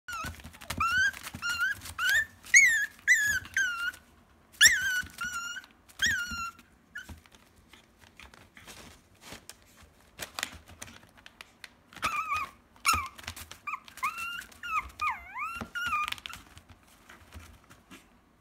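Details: Cream-coloured male Pomeranian puppy, full of energy, indoors: bursts of high, squeaky whimpers and short harmonic yelps in quick clusters, then wavering, rising-and-falling whines toward the end, with soft rustling and handling noises.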